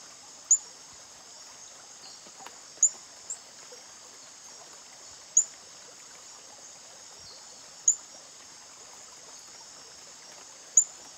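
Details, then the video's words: A male reticulated glass frog (Hyalinobatrachium valerioi), calling while guarding its egg clutch on the underside of a leaf, gives short, very high, sharp tseet notes every two to three seconds. "Calling male Reticulated Glass Frog (Hyalinobatrachium valerioi)"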